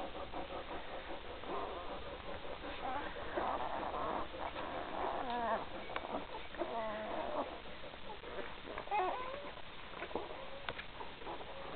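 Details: Newborn pups, three days old, from the Gracie and Newman 2012 litter, giving a long run of high, warbling whines and squeaks that rise and fall, loudest through the middle, over steady indoor background noise.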